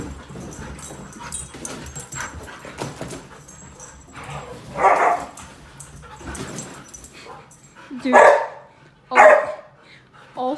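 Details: Siberian Huskies Dante and Antaeus squabbling over a newly delivered bed at home; low murmuring and shuffling early on, then three loud, short, rough barks or woo-like yelps, the last two close together.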